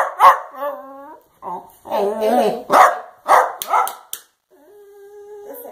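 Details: Dachshund vocalising its 'love yous': a bark followed by a wavering howl, then several loud barks and yelps, ending with a steady, level whine-like tone.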